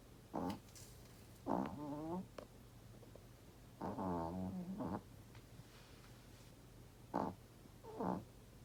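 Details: Old Chihuahua snoring at night indoors, loud enough to wake the owners: several rough, harmonic snorts in bursts of about half a second to a second, separated by quiet gaps, over a steady low hum.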